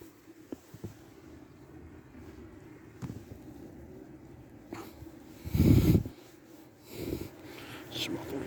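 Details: Shiba Inu Chichi, a mischievous, friendly dog kept near Kanahama in Aomori City, Japan, yawns with a voice after a long petting session: a single loud, breathy, low half-second burst, then a softer huff and quiet breathing.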